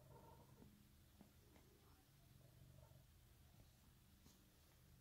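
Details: A pet cat named Emerald purring steadily indoors: a low, continuous rumbling vibration with fine rapid pulses, holding even through all five seconds, with a few faint higher murmurs and soft clicks over the top.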